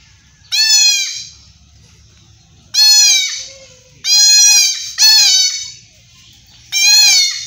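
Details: Young goat kid being castrated in a Bangladesh village, bleating loudly in distress: five strained, quavering, nasal bleats, each about half a second to a second long, spaced irregularly, with a low background hum between calls.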